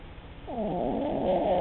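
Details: Sleeping Cavalier King Charles Spaniel, a breed prone to snoring because of its short little snout; a rising, raspy nasal snore swells over about a second and holds at a steady, buzzing level.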